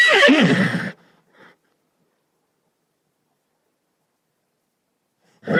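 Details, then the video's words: Single brief horse whinny in the first second, a rough, harmonic, descending call with a faint short tail. Silence follows, and another neigh begins right at the end. "SOM DE CAVALO"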